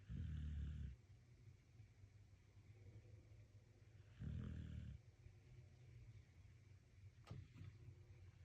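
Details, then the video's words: Dog snoring while sleeping and relaxing: two low, rough rumbling snores about four seconds apart, then quiet breathing and a brief click. "Snoring and relaxing . СПИТ С НАСЛАЖДЕНИЕМ."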